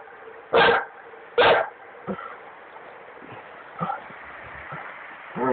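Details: Dogo Argentino at a duck hunt on the Drina River, Republic of Srpska, Bosnia and Herzegovina: two loud barks close together, then scattered faint yips and muffled woofs, ending with a rising bark, over background hum.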